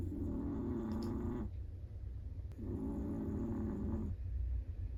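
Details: Sleeping Chihuahua producing two long, buzzy snoring breaths of about a second and a half each, separated by a quieter gap, low hum in the background.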